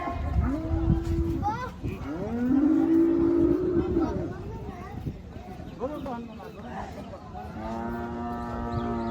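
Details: Cattle at a cattle and goat market held on the Dhanpati Khola primary school field; several drawn-out, low moos rise and fall over nine seconds among steady crowd chatter and people talking.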